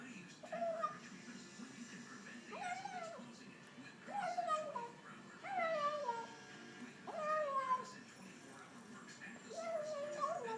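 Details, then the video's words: A female cat making odd little calls while she eats: short tonal chirping meows that rise then fall, repeated roughly every one to two seconds, over soft background noise. "kitty makes funny sounds while she eats"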